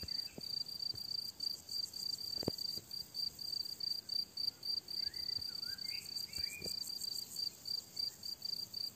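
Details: Summer meadow crickets give a regular train of high, ringing chirp pulses, roughly three per second, while soft bird whistles and a few clicks sound faintly behind them.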